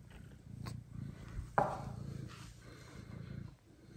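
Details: Low, throbbing purr from Kira, a domestic mother cat, as two blind orphaned kittens are brought to her, the rumbling pulses interrupted by one sharp knock or rustle midway.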